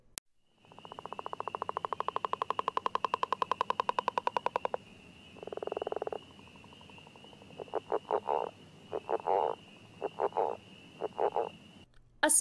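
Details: Northern leopard frog of northern Illinois with a deep, soft call: a long, rapid snoring rattle of several seconds, then a short grunt and a run of separate low chuckling clucks, over a continuous high steady trill from other frogs.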